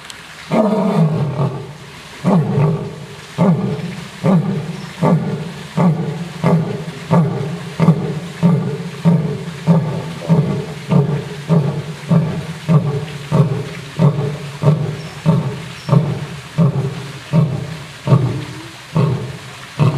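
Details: Lion roaring, old and young lions, as a long series of deep, grunting pulses about one and a half per second, steady and rhythmic for the whole stretch, each burst rich in low harmonics.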